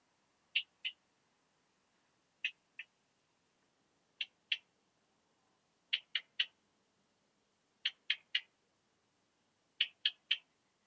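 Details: Saw-tailed bush-cricket recorded near Starnberg, Germany, on 18 July 2023 with an ultrasound detector: very short high clicks given in pairs or triplets, a group roughly every two seconds, against a quiet background.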